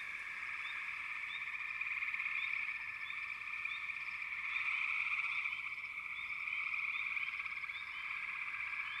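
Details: A dense, steady frog chorus forms an unbroken trilling drone, with faint, short rising chirps repeating rapidly on top.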